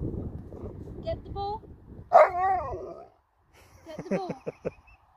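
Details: Alaskan Malamute Sherpa reacting to the daughter being taken home: one loud, wavering, drawn-out yowl midway, after a person's voice and followed by more talking.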